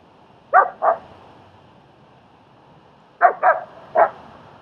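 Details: German Shepherd at a training and socialising session with a timid dog in Queens, New York: two sharp barks, a long pause, then three more clipped barks in quick succession.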